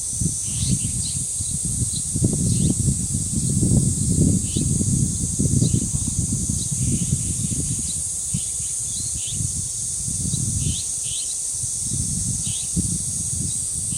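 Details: Cicadas drone unbroken in the high register at the dangsan grove of Deoksan village. Strong gusty wind roars underneath in waves, and scattered bird chirps sound above.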